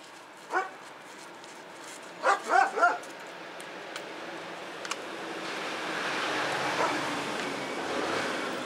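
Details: Doberman Pinscher barking during eager play and exercise: one sharp bark, a short pause, then three quick barks in a row, followed by steadily rising background noise.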